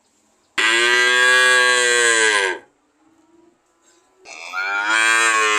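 A cow gives two long, loud moos separated by a brief pause.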